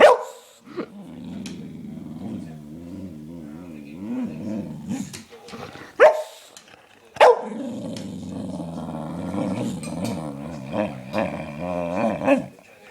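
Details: Lennox the dog, giddy after a belVita theft, makes long, wobbling, low grumbling moans that swing up and down in pitch, broken by a few short, sharp barks.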